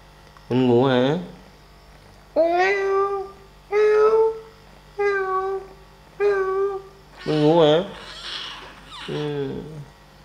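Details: Kittens playing and feeding: a run of seven high, harmonic mews, some wavering and quavering, others steady and drawn out, spaced roughly a second apart in a quiet indoor setting.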